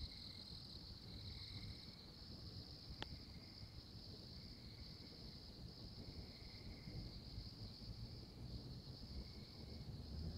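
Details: An Oklahoma tree frog repeats high, steady trills lasting about a second, spaced by brief pauses, against a continuous shrill insect drone and low background rumble.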